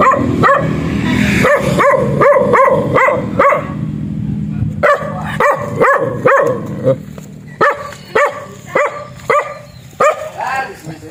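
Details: Barking of a black dog: rapid series of sharp, ringing barks about twice a second, a short pause, then more spaced single barks with a brief whimpering note near the end.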